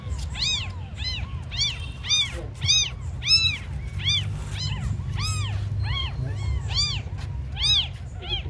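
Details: Abandoned kittens, described as very small, crying in rapid, insistent mews about every half second, each a bright rising-then-falling squeal, with a constant low hum beneath.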